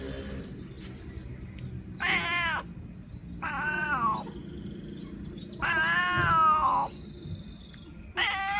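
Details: Domestic cat vocalizing at the sight of a bird: four drawn-out, tonal meows spaced by short pauses, each bending up then falling away, with a faint low hum between calls.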